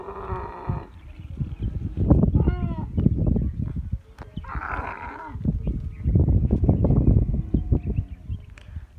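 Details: Camel during masti, the rutting season: a harsh bleating cry opens, followed by heavy, throaty gurgling and roaring bursts in irregular rapid pulses, with another nasal cry midway.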